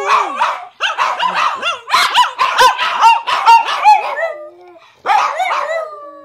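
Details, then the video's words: Two dogs, Tatum and Paco, barking and yipping in quick, uneven bursts with rising and falling howled notes, a short pause near five seconds, then more barks and a drawn-out howl; a man promises a trip to the park. "Tatum and paco dog howling"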